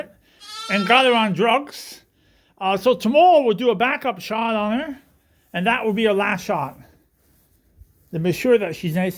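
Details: Suffolk lambs at Ewetopia Farms, mixed into one big group in a barn after escaping through an open gate. Long quavering bleats, each one to two seconds, come in four bursts separated by short pauses.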